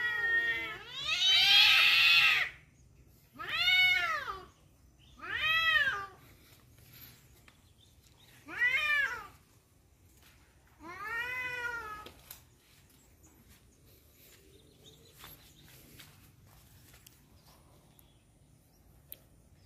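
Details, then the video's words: Cats fighting over a female: a loud harsh opening howl followed by four shorter arched yowls spread over twelve seconds, then several seconds of near silence with faint background noise. "suara kucing berantem rebut janda"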